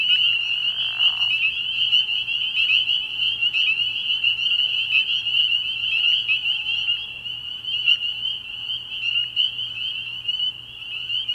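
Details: Spring peepers in full chorus at a nighttime frog pond early in the year, a loud continuous high-pitched shrilling with sharp rising peeps, opened by a short lower grating noise in the first second.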